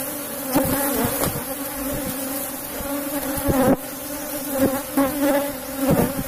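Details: Asian honey bees of a strong cultivated colony hum steadily in their hive box during harvest; the drone rises in short surges, with sharp knocks at roughly one-second and longer intervals.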